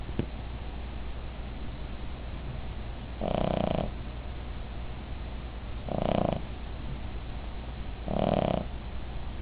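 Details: Midge, a Cavalier King Charles Spaniel, snores in her sleep: three loud, raspy snores spaced about two and a half seconds apart, with quiet breathing between them and a constant low hum underneath.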